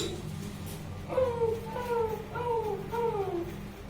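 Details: Saint Bernard Bruno, 21 months old, making noise during play: four drawn-out tonal whines in a row, each sliding downward, evenly spaced about half a second apart over a soft indoor hum.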